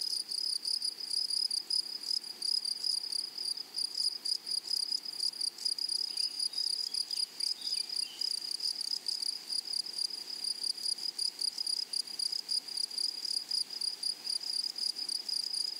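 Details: In a flowery prairie meadow, grasshoppers produce a dense, unbroken high whine with rapid regular pulsing, and soft distant bird twitters appear briefly midway.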